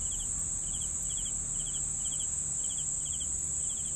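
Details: A cricket gives quick triple-pulsed chirps roughly every half second, set against an unbroken high-pitched insect trill and soft low background noise.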